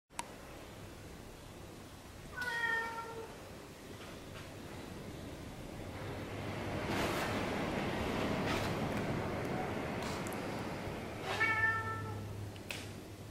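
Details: A trained domestic cat gives two short meows with clear harmonics and a falling pitch, one near the start and one near the end. Steady broadband rustling and hiss fill the gap between them.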